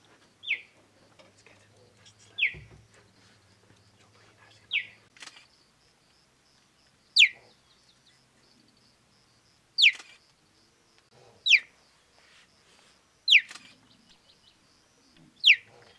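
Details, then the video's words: A young male cheetah in the Mara North Conservation Area, recently left by his mother, calls for her while hungry with sharp, high, bird-like chirps (chirrups) that drop quickly in pitch, repeated every couple of seconds. "What noise do Cheetahs make?"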